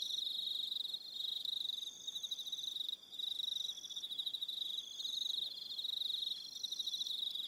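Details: Crickets calling in the evening on Aroha Island, New Zealand, a loud high chorus of quick pulsed trills in overlapping waves, briefly thinning near the middle, with faint steady upper tones.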